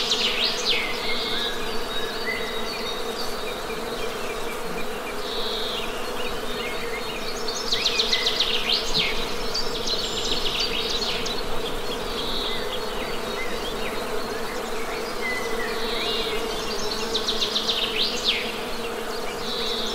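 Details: Honey bees give a steady, low droning hum with even tonal bands. Bird chirps and short trilled phrases sound high above it throughout.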